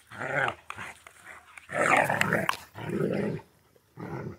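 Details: Central Asian Shepherd named Safarik in Michigan, heard indoors making deep, rumbling growls in three long bursts with short pauses between, ending in a brief fourth grumble.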